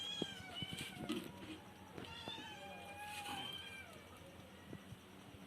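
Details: Cats and kittens meowing in a compilation: several overlapping high, wavering meows with harmonic stacks, some clicks and taps, quiet speech before and after.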